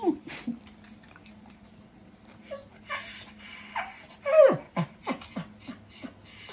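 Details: Shiba-beagle mix dog indoors, curious about something on top of the refrigerator, gives a short falling whine amid scattered clicks, sniffs and shuffling noises, with a steady low hum in the room.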